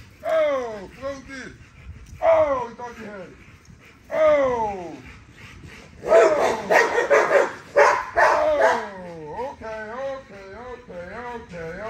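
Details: During a workout, Nyla, a female XL ghost tri American Bully, gives falling whines at first and then a run of harsh barks. Rising and falling whimpers come after, with people talking over her.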